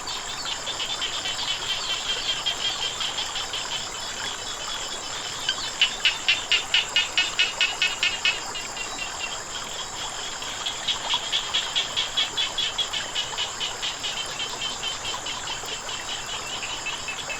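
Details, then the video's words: Frogs call beside flowing water, giving trains of quick, sharp, high-pitched pulses, about four per second, in two clear bouts. A continuous thin high whine and the soft hiss of running water lie beneath. "เสียงน้ำไหล กบเขียดร้อง"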